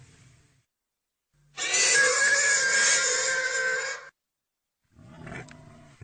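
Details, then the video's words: A pig's single sustained, shrill, strained squeal of about two and a half seconds, framed by faint low grunting before and after. "real pigy sound effect"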